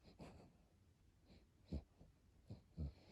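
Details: Sleeping, overweight Chiweenie dog snoring in a small room: wheezy, low rumbling breaths with short snorting bursts roughly once a second, loudest near the end.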